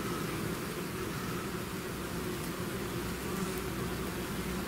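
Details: Bees swarming out of their hive, heard as a thick, even drone of many wings that blurs into a steady noise-like hum without clear individual passes.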